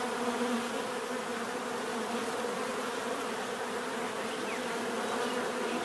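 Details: Continuous swarm hum of bees: a thick, level drone of many wingbeats layered together, unbroken and steady from start to finish, with a soft airy hiss above the main buzz.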